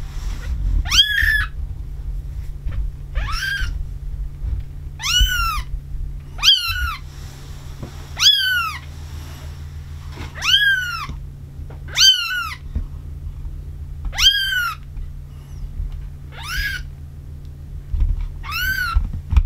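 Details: Two-week-old brown Maine Coon kitten in a Tokyo cattery, Japan, crying with a steady run of sharp, high, arching squeaks, nine or ten in all at roughly two-second gaps, with a constant low hum behind.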